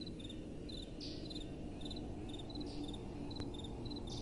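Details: Night crickets calling with gentle wind: paired bursts of brief pulsed chirps recur through the recording above a steady low rumble of wind, with a faint sharp click near the end.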